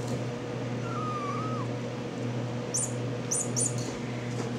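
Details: Ten-week-old RagaMuffin kittens indoors: one thin, soft mew holds steady, then dips and drops away, over a constant low electrical hum, followed by a few brief high squeaks.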